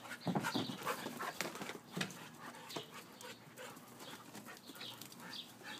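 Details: Siberian Husky at play, giving short breathy pants and soft whimpering grunts in quick irregular bursts, with scuffling noise between them.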